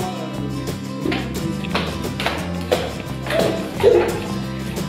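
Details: Music with rhythmic tapping and some speech, with no animal sound.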